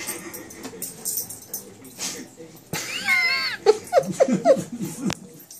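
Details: Two dogs, Lexi and Leo, a Great Dane and a coonhound, fighting over a toy duck; a descending whining cry followed by short rapid yips and whimpers, with a person speaking in the background.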